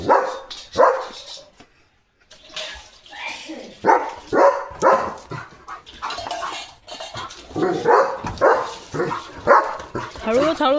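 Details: In the early morning, a German Shepherd on barking duty barks in loud, irregular bursts at a dog he has seen outside.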